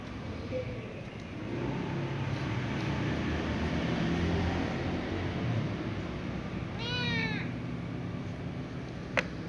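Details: Little ginger cat, wary of a silver cat, noticing and meowing: a single short falling mew near the end, over a steady low rumbling background noise with a sharp click just after.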